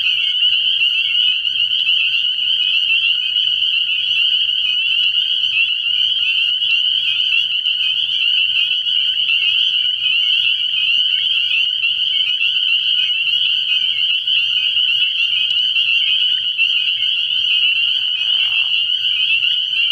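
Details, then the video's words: Spring peepers in full chorus at a frog pond on an early-spring night, a continuous shrill mass of rapid high peeps holding steady throughout, a soft low hum beneath and a brief lower sound near the end. "Relaxing Tree Frog Sounds"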